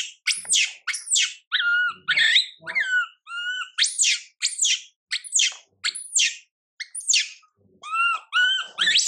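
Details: Young monkey Mila crying while her mother Milika ignores her; shrill rising-falling screams alternate with short, tonal, harmonic whimpers, repeated almost without pause, with brief silent gaps between bursts and no other sounds.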